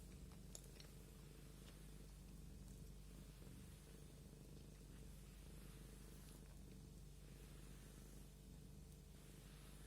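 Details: Domestic cat purring while being combed: a steady low rumble with even pulsing, continuous throughout, plus faint rustling of the comb and a brief click near the start.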